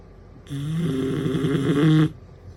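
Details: A female bloodhound puppy snores with a single long, low, rumbling breath.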